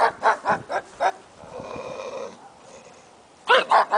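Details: A pug gives a quick run of five short, sharp yaps, falls silent behind a soft steady hum for about two seconds, then yaps three more times in fast succession.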